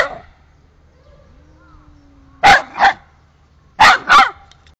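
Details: Park dog worked up by a resident cat, barking repeatedly: a faint whine, then two loud paired barks in quick succession, each pair about a second and a half apart.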